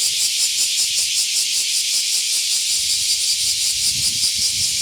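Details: Cicadas singing on a summer morning during a dog walk, a loud, dense, high hissing buzz that pulses steadily about two to three times per second, with some low rumbling underneath toward the end.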